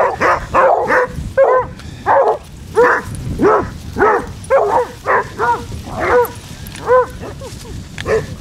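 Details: Pack of 16 Basset Hounds walking four miles on Marlborough Downs, North Wiltshire, 4 December: steady run of loud, ringing barks and bays, roughly one or two a second, several hounds overlapping, with a low rumble beneath.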